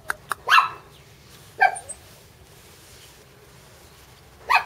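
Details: Mame Shiba puppy, one of a pair of sisters; sharp, high yapping barks, two clustered near the start, one in the middle and another at the end, against a quiet indoor background.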